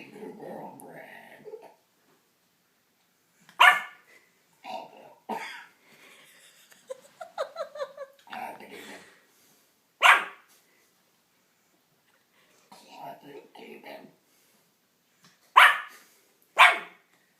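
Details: A three-month-old pug puppy gives sharp, high little barks in scattered bursts at a friend who is making very strange noises.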